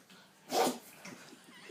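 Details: A pug gives a single abrupt, breathy sneeze, followed by faint snuffling breaths.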